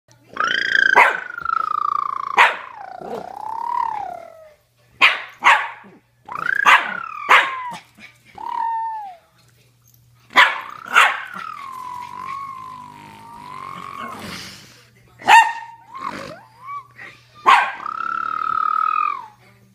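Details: Pet dog going wild after hearing an odd noise: sharp barks mixed with long, whining, howl-like yowls, irregular bursts through twenty seconds.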